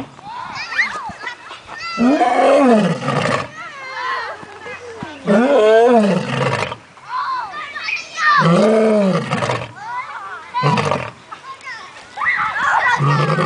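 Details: Male lion in a park enclosure giving a weak, tired-sounding roar: four or five deep, groaning moans rising and falling, each about a second long, repeated every two to three seconds, with children's voices in the background.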